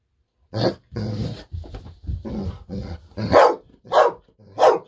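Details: Golden Retriever Bis, eager for a treat, mixes low throaty grumbles with sharp barks. Several rough, growly sounds lead into three clear, loud barks at the end, close by in a room.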